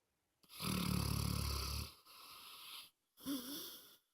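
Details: Moses, a pet dog, snoring loudly: a rattling, low buzzing inhale of about one and a half seconds, a softer airy breath, then a shorter snort that ends in a wavering nasal whine.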